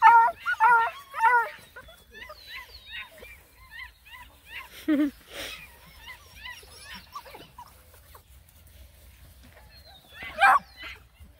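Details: Black and Tan Coonhound pups, nine of them out hiking by a pond, let loose a quick run of chevron-shaped yips and whines, dense at first and then thinning out, with a late sharp yelp and a voice nearby.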